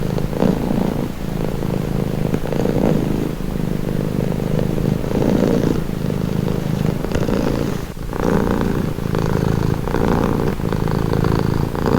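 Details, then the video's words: Cat purring up close, a deep continuous rumble pulsing in rhythm with each breath, swelling and easing every second or so, with one brief dip near the middle. "Purring cat"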